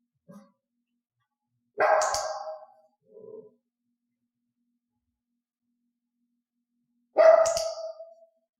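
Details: A mixed-breed pet dog indoors, in clicker training, barking when given a hand-gesture cue. Two loud, piercing single barks come about five seconds apart, with faint soft sounds between them.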